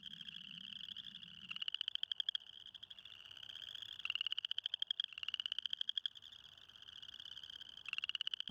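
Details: Male spring peepers give shrill, rising whistled peeps over a dense, ringing chorus at a small pond, calling to attract mates while a female listens nearby, recorded with the microphone inches from the frogs.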